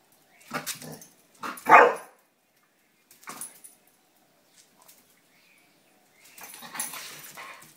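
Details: Roxy and Sofie, two pet dogs at play, give a few scattered gruff sounds and then one loud ringing bark near the two-second mark, followed by soft huffs and a stretch of rustling at the end.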